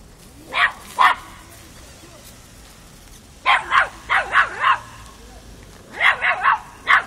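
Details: Young Miniature Pinscher, five months old, barking at a mature cat indoors in Kiev, Ukraine, October 2013: two sharp yaps, a pause, a quick run of five, another pause, then four or five more shrill barks.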